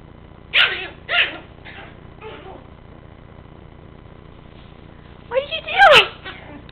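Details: Yorkshire Terrier puppy Jackson playing with and attacking a big dog toy: four short, high, harmonic yips in quick succession, a quiet pause, then a louder burst of yelping ending in a bending, whiny cry.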